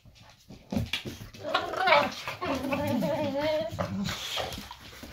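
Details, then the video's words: Boxer dog indoors in a small room, one of two boxers in the home, 'talking' in a wavering, moaning whine that bends up and down in pitch for about three seconds, preceded by soft rustling and clicks. "Boxer Dog Talk"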